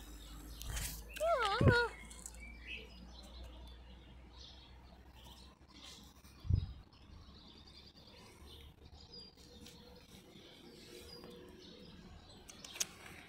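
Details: Fupi, a cat known as a headbutter, gives one short wavering meow near the start, its pitch rising and falling twice within about a second. Soft rustles and a single dull thump follow, then a quiet indoor background.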